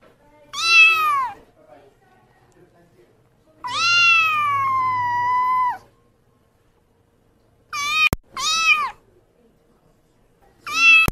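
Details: Kitten meowing repeatedly: one short call, then a long steady meow of about two seconds, followed by several brief meows, with two sharp clicks between calls.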